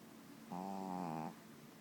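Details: Sleeping pet dog giving a single resonant snore of nearly a second, a buzzy, tonal drone that holds steady, in a quiet room with a faint background hum.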